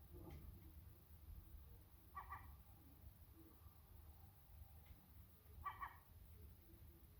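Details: Sacred Birman cat addressing a seagull, giving two short harmonic chirping calls about three and a half seconds apart with a few fainter clicks between them, all over a continuous low rumble.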